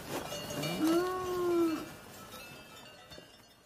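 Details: A cow gives a single steady, tonal moo lasting about a second. Quieter background noise with faint clanks follows.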